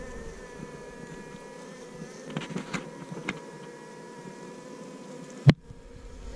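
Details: Asian honey bees in a cavity nest under a hut being dug out: a steady, low droning hum with faint higher overtones, a few scattered clicks and scrapes, and one sharp knock near the end before the hum fades.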